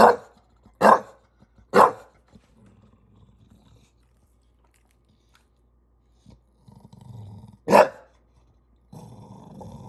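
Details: A frustrated English Bulldog in NYC complains at a ladder: three rapid barks open, then a low rumbling pause with faint shuffling, one more loud bark, and a soft steady noise at the end.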